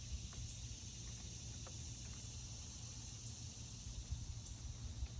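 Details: Summer cicada chorus heard from a deck on the Fourth of July: a continuous, even shrill buzz running throughout, with deep background rumble and a few faint clicks.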